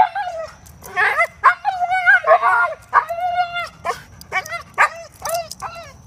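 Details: German Shepherd/Collie mix dog filmed around obedience training, giving high, wavering whines and yelping yips in quick bursts, each with bright rising-and-falling tones, several per second with short gaps between them.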